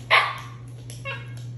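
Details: A pet Siberian Husky indoors, 'talking' when asking for ice cream: one short, loud, bright yelp-like cry followed by a softer whine, over a steady low hum.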